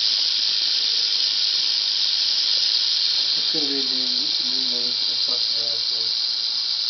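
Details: Angry female Southern Pacific rattlesnake, caught on asphalt near Whitewater, California, about 30 minutes after sunset at roughly 85 degrees F, giving a steady high continuous buzzing rattle throughout, with men talking over it.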